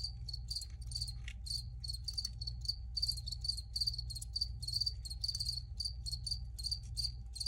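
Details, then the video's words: Recorded crickets keep up a rapid series of high, trilled chirps, some louder than others, with a faint steady hum in the background. "Free Cricket Sounds for Re-Use or Relaxation"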